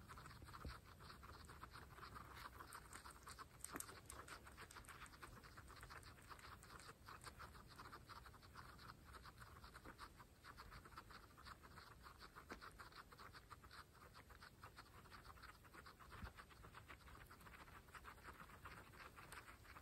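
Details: Pregnant female guinea pigs eating fresh grass in a close-up ASMR mukbang recording; a dense, steady stream of crisp crunching and munching clicks continues throughout with no pauses and no other clear sounds.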